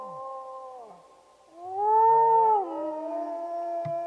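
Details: Wolf howl that begins level, dips, then swells into a loud arching note mid-way before settling lower. A fainter second voice overlaps the end, with a short click just before it stops.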